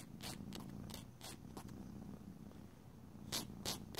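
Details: Domestic cat purring indoors during a quiet grooming session while its nails are filed; a steady low rumbling purr runs throughout, broken by sharp scratchy filing strokes.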